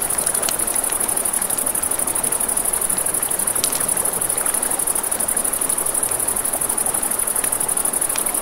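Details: Crickets by a river at night, a steady high pulsing trill held throughout, layered over crackling campfire pops and the broad hiss of flowing water.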